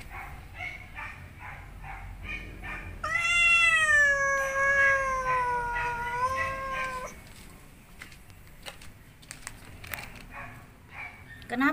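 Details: Angry domestic cat near a cardboard box, about to give birth, voicing irritation: after soft scattered noises, a sustained wavering yowl lasts about four seconds then stops, followed by quieter rustling and clicks.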